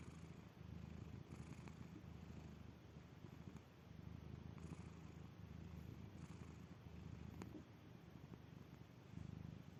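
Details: Domestic cat in deep sleep, a soft continuous low rumbling purr-like snore with steady breathing pulses, fairly quiet throughout with faint clicks.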